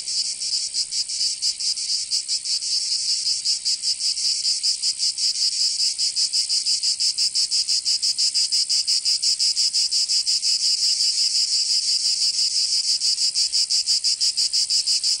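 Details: Cicadas of southern France's Provence calling in summer heat: an unbroken sizzling high buzz, pulsing rapidly and fairly evenly around three beats per second, growing a little fuller over the stretch.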